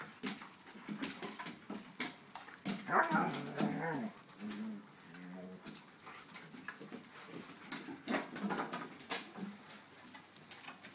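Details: Dogs from a group of a Schnauzer, a Ridgeback and shepherds, indoors, give a cluster of harmonic barking and whining bursts around the middle, with smaller yelps after, over scattered clicks and rustling.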